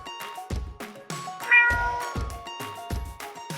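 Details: A cat gives a single drawn-out meow in the middle, bright and slightly falling, over loud rhythmic children's music with repeated drum beats.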